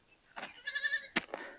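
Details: Young goat kid, alone inside a goat pen in a remote forest village on a hot, sunny day, cries out in fear of a visitor: a short harmonic bleat amid sharp broadband knocks and rustling.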